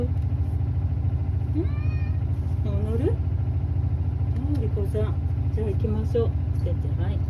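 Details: Male rescue cat meowing loudly over a running washing machine, wanting to go outside: a series of short rising and wavering meows, over steady low mechanical rumble.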